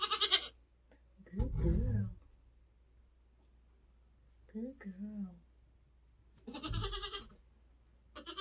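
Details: Nigerian Dwarf goat on a homestead during kidding season, giving birth. Two loud, harsh, broadband bleats, one at the start and one near seven seconds, with a deep low burst and quieter human voices between them.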